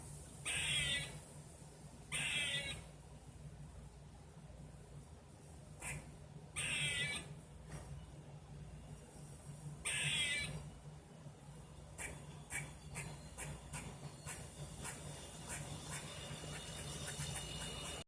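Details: Squirrel heard outdoors, first mistaken for a bird; harsh raspy noisy calls about a second long repeated every two to four seconds, then a quicker series of short chips, over a low steady background hum.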